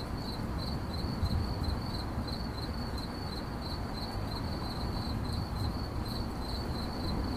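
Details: Continuous high-pitched cricket chirps, pulsing rapidly and evenly, with a soft low hiss and rumble beneath and no other animals heard.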